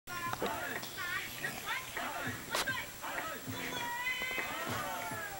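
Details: Colby the bulldog whining for his owner's attention: a run of high, wavering nasal whines that rise and fall, closely repeated over a steady background hiss.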